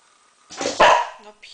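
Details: An almost one-year-old Golden Retriever barks on command while performing tricks. A single short, loud bark is followed by quieter sounds, and a person's voice gives commands.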